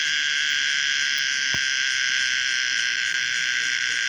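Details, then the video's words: Common cicada Pomponia linearis holding a constant, shrill buzzing drone in stacked high bands; a faint brief click sounds near the middle. "the weird sound of the common cicada pomponia linearis"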